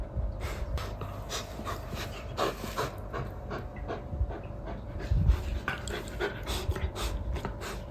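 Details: Male Golden Retriever, companion to a rescue kitten at home, panting in quick breathy bursts spread across the range, several each second, with a faint steady electrical hum underneath.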